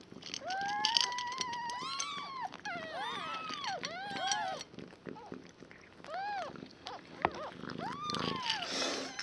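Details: Newborn foster kittens, one day old, from mother Nala's litter of five picked up from a shelter, cry in rising-and-falling squeals, several overlapping, among murmured speech and rustling.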